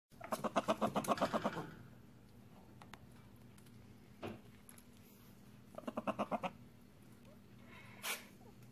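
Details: A young pet prairie dog "talks" to its owner in quick bursts of short, chirpy pulses, a contented greeting asking to be held.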